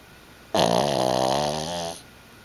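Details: Yoshi, a pet pug, snoring while asleep: a single loud, rasping, harmonic snore of about one and a half seconds, slightly falling then steady, in a quiet indoor room.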